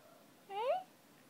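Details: Young poodle puppy giving a single short whine, a rising then falling tonal squeal about a third of a second long with clear stacked harmonics, in a quiet indoor room.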